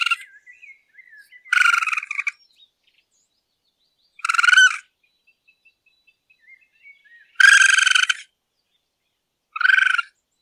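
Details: A raccoon at night gives harsh, rasping, chattering bursts under a second long, spaced two to three seconds apart, with soft, high, wavering whistled notes between them.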